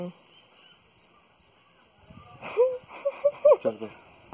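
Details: Dogo Argentino at a pet shop in Khanpur, Delhi, letting out a short burst of high, bending whines and yelps, several in quick succession, after a man's spoken commands in Hindi, in a quiet indoor setting.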